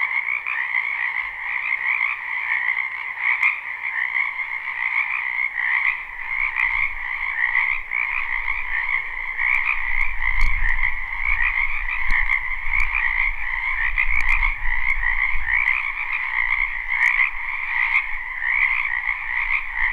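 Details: Spring wetland chorus of frogs, a live recording: dense trilling croaks run without pause, while low rumbling thumps and scattered clicks join in the second half.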